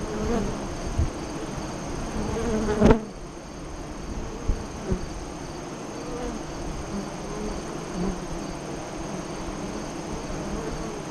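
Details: Honey bee hive entrance east of Lyons, Nebraska, during the August 2017 eclipse, 2:48-3:00 CDT. Bees fly past in low humming bursts over a constant colony drone, with a sharp click near three seconds.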